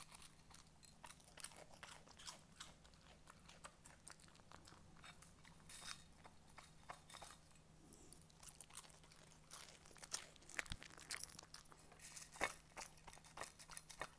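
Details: Cooper the Schnauzer munches very crunchy cornflakes indoors, producing a long run of brittle, clicking crunches and chewing, dense and irregular, with brief pauses and louder sharp bites near the end; a low hum persists throughout.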